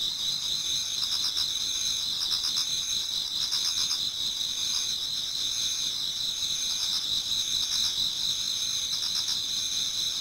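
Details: Many autumn insects singing toward dawn in a Japanese garden: a dense, continuous high trilling chorus with steady shrill bands and softer pulsed chirps rising and fading every second or two.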